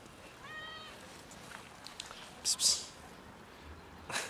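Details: A cat that trailed a person and settled on a bench gives one brief, thin meow early on, followed by loud rustling or scraping bursts against a quiet outdoor background.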